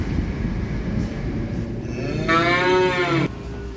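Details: Small calves being unloaded from a truck; one calf gives a single harmonic moo lasting about a second, steady then cutting off abruptly, over a constant low rumbling background noise.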